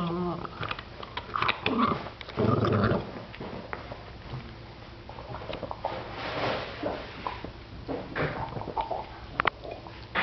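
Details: A 7-year-old Boston Terrier gives low, rumbling growls and snarls to guard his bone from a persistent 10-week-old Boston Terrier puppy, with chewing and scuffling noises indoors.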